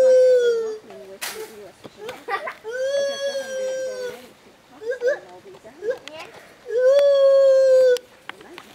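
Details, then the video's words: Female white-handed gibbon Stitches, rescued from a breeding operation and living at a Florida sanctuary, calls toward a young boy: long level ringing notes, one rising swoop, and softer short wavering sounds between them. "STITCHES White Handed Gibbon Ape Monkey Talking with Young Boy"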